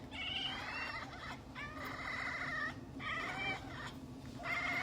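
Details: Domestic cat giving long, drawn-out harmonic meows in four separate bouts, each wavering slightly in pitch, with a steady low hum running underneath.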